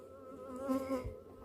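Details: Honey bees making orientation flights in Texas: close, droning wing buzz with layered harmonics and small pitch wobbles, plus a soft thump near the end.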